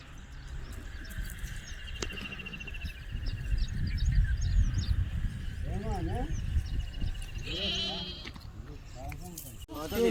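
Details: Sheep at a village livestock market, bought by the buyers, bleating in short wavering bursts near the end among steady people's chatter and crowd murmur.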